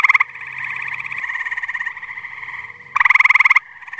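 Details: Tree frogs calling at a pond in New Jersey on a muggy night: distinct rapid pulsed trills that start and stop, with a loud close trill of about a dozen quick pulses standing out over quieter background callers.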